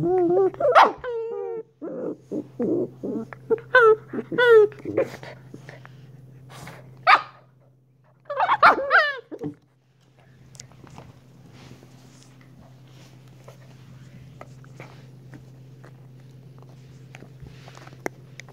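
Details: Young Shiba Inu pup letting out a run of squeaky barks, yips and whimpering whines through the first ten seconds, then mostly quiet with only faint knocks and a constant low hum.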